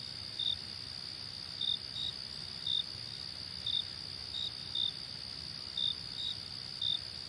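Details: Cricket calls as short sharp high chirps, about eleven, sometimes in close pairs, above a continuous thin whining drone and soft hiss.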